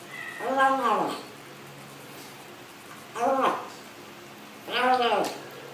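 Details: Meowing while eating from a funny cat and kitten compilation, the sounds likened to "yum yum yum" or "nom nom nom"; three arched, harmonic meows, one long and two shorter, separated by quiet gaps.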